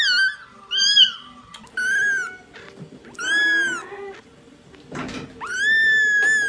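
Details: Several kittens meowing in quick succession, short arched mews overlapping and repeated, then a longer rising meow held steady at the end, with faint low murmurs underneath.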